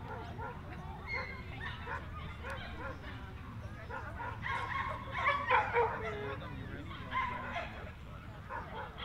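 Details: Several Jack Russell Terriers yap at the breed's speciality show held by the Jack Russell Terrier Club of NSW, Orchard Hills, 15 October 2015; shrill rapid barks cluster mid-way, with people talking and steady background rumble.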